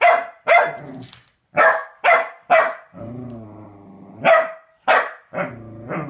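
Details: Corgi Chunk E. Sausage, getting a femur bone, gives several loud sharp barks broken by a sustained low growl, then more barks ending in a short growl.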